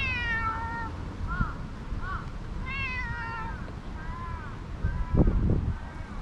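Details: Stray cat that emerged beside a jogging course, meowing while being petted before climbing onto a lap: about five short harmonic meows, some rising then falling, others sliding downward, over low outdoor rumble with a brief thump near the end.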